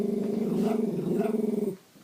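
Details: Pet Bichon Frise dog 'talking' back to its owner in a conversation, recorded on an iPhone 5: a steady, throbbing low grumble with rapid pulsing lasts nearly two seconds, then stops abruptly.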